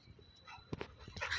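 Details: A Labrador Retriever gives a couple of quick, sharp barks and yips while playing fetch with a ball as a person talks nearby.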